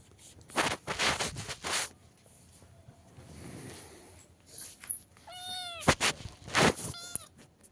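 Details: Cat wearing a sweater indoors lets out a few short meows near the end, after loud rustling and handling thumps fill the first seconds; background music faint.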